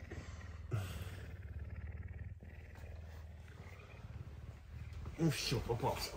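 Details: Hungry pet puma Messi on a Tuesday morning, affectionate and wanting breakfast. Low continuous rumbling throbs quickly for about five seconds, then a human voice cuts in near the end.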